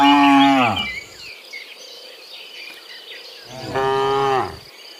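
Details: Cows from a herd of dozens moo in the afternoon as they return from the fields to the pen; two loud, harmonic moos, the first at the start and a second near four seconds, with insect and bird chirps in the background.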